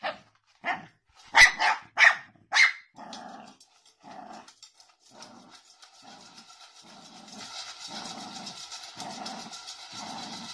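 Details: Jack Russell Terrier from a compilation of funny, cute dogs: four sharp, loud barks in the first three seconds, then a run of softer, evenly spaced low growling pulses, with a hiss of background noise building toward the end.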